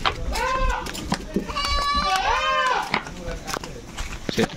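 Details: Goats being shipped from a farm: two wavering, nasal bleats, the second longer and rising then falling, over knocking and clattering, with voices in the background.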